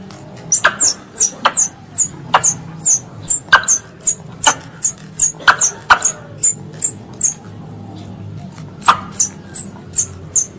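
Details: Squirrel calling its mother, a pest animal: shrill, piercing chirps that fall steeply, delivered in quick succession with occasional hard clicks, then a brief pause before the chirping resumes near the end over a soft low drone.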